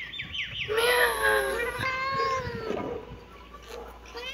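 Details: Kitten meowing: a few quick high chirps open into one long, wavering meow that slowly falls away, followed by quieter faint mews near the end.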